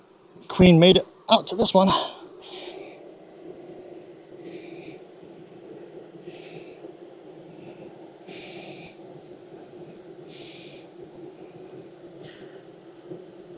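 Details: Honey bees at a thriving backyard hive in Texas, inspected on a hot day around 92F with a 104F heat index after three weeks of rain. A steady, low droning hum with layered overtones follows a brief burst of human speech, with soft intermittent rustles.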